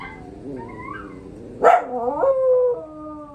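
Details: A pup's response to a dog howl challenge: soft wavering howls swell into a loud yelping cry, then settle into drawn-out, slightly falling howl notes held to the end.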